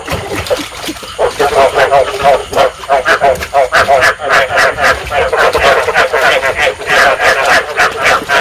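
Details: Rice field frogs calling in a dense chorus, a recording played to stimulate breeding and lure frogs into traps. Rapid pulsed croaks overlap continuously, with sharp clicking bursts throughout.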